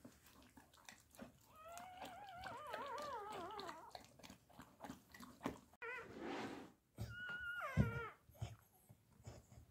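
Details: Labrador Retriever puppies whining: a run of wavering, high, sliding whines for about two seconds, then a noisy yelp and a final rising-falling whine, with soft chewing and clicking sounds throughout.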